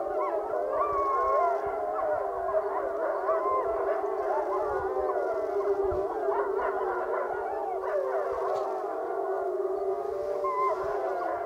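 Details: Group howl session by the Wapiti Lake wolf pack; many layered howls overlap, some rising into high yips and quavering glides, others sustained and even, with a low rumble of background noise.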